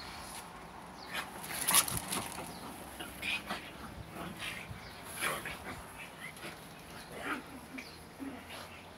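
Pugs make short snuffling bursts and soft whimpers, with a human voice in the background.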